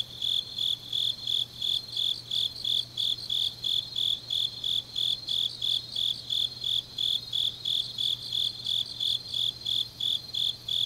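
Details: Autumn night chorus of grass insects in Changnyeong, Korea, a dense run of even high-pitched chirps, roughly three per second, very regular, backed by a softer overlapping trill and a faint low hum.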